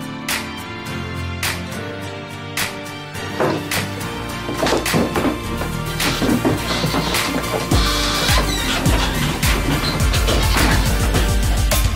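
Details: Loud, busy background music with thumping beats and crash-like hits fills the whole stretch, with no goat or other animal calls.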